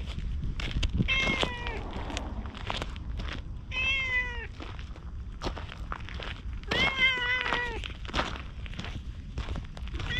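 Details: Orange tabby stray cat trailing after a brief stroking session, filmed outdoors with a GoPro; four tonal meows spaced a few seconds apart, arched in pitch, amid footsteps and scuffing sounds.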